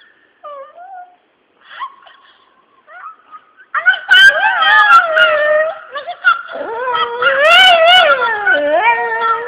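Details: Pet dog howling along whenever a cell phone rings: short electronic ringtone tones open the recording, then long wavering howls with rising and falling pitch and rich harmonics fill the last six seconds, punctuated by brief yips.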